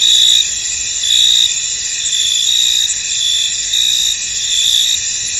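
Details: Crickets in a misty, foggy field: a dense, continuous high-pitched chorus of many insects, with louder trilled pulses rising out of the steady drone about once a second.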